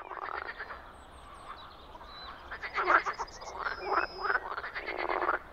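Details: European frog calling in spring in the Czech Republic: loud, harsh, pulsed croaks in quick rattling bursts, rising and falling in several bouts over a quieter background.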